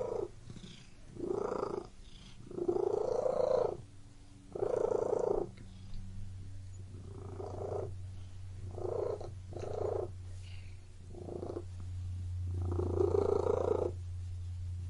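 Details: Close purring from a cat, uneven bursts every one to two seconds, some loud and some quieter, with a low steady hum running through the second half.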